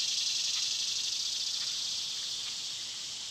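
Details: Loud summer cicada chorus, a bright, continuous buzzing hiss with slight regular pulsing, fading a little toward the end.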